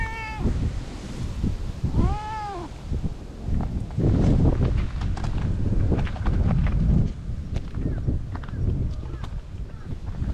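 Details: Stray cat approaching to be stroked: a short meow at the start and one arched harmonic meow near two seconds, then several seconds of rustling, handling noise and low rumble.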